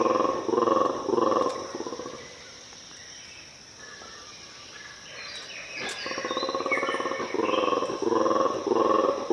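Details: Mantled guereza, also called black and white colobus, in Ethiopian cloud forest: bursts of pulsed, throaty roaring at about two pulses per second open and close the clip, with a quieter gap of forest background between.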